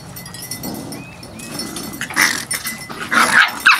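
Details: Biscuit Bentley puppies at playtime; short, bright yapping barks come in three quick bursts after a quiet start, over a low background hum.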